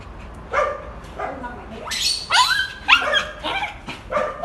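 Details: Dog left behind while another was walked first, whining: soft low whimpers building into loud, steeply rising and falling squealing whines, repeated roughly every half second, with a faint hum underneath.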